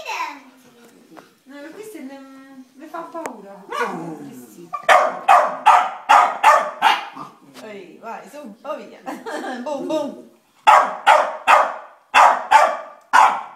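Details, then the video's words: Chow Chow barking at a Maltese, opening with whines and voices, then a run of loud sharp barks roughly every half second, a pause with chatter, and another barrage of barks. "Chow chow che abbaia ad un maltese"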